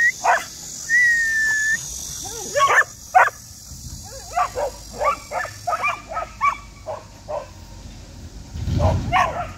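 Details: Border Collie family of flying-disc dogs in Yeoju on a clear, scorching heatwave day, clamouring to have the door opened: rapid bursts of high whiny yips and yelps, irregular, with a drawn-out whistled whine early on.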